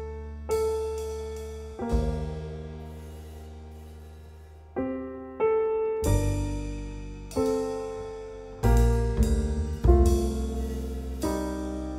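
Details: Solo piano music with struck chords that ring out and fade between strikes; no animal sound is heard.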